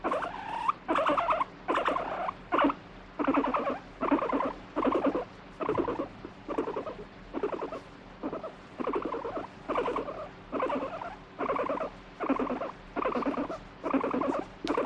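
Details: Pet guinea pig that alternately wants petting and pushes the hand away keeps up a rattling, pulsed grumble, about seventeen short bursts over fifteen seconds, the spacing slightly uneven.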